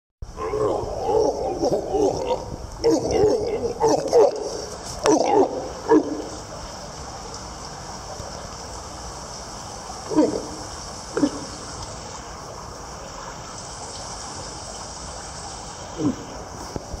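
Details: A young male walrus calf, fed seven times a day, gives rough, throaty grunts in quick bursts, signalling hunger just before a feeding.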